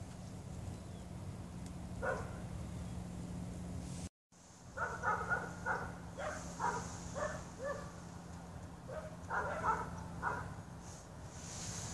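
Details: Dog barking in short repeated bursts after a brief gap, each bark bright and harmonic, with a steady low hum underneath.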